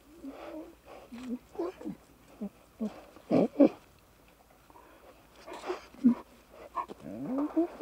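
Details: Young lions frolicking and bonding produce an irregular jumble of low grunts, short growly mews and bending moans, with overlapping voices and brief louder bursts in the middle.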